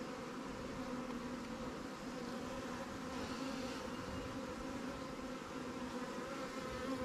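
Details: Honey bees in a newly captured swarm hive, Langstroth or Warre, being checked in an apiary. A dense, steady buzzing drone with even tonal bands holds throughout, unbroken and level.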